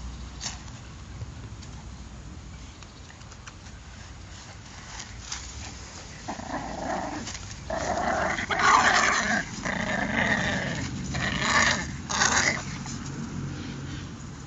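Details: Growling from Patterdale Terrier puppies: quiet shuffling at first, then from about six seconds a series of rising, rasping growls that peak near nine and twelve seconds before fading.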